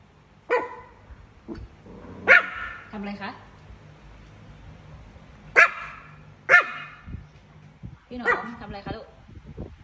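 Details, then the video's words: Chihuahua barking at a cat: sharp, high single barks every one to three seconds, about five in all, with a woman talking softly in Thai between them. "Cute Chihuahua Dog Barking At A Cat"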